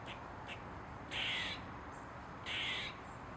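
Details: Eastern gray squirrel, dancing on a mushroom, giving two loud, harsh, buzzy barks about one and a half seconds apart, each lasting under half a second, with fainter short squeaks before them over a steady hiss.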